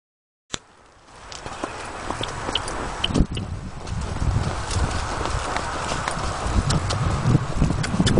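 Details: Appaloosa mare ridden outdoors in 2010-2011, galloping and cantering under a rider through Sherman and the trails of Riverside Park; a rapid, uneven run of dull hoof thuds that grows louder, with scattered sharper knocks and steady wind-like rush.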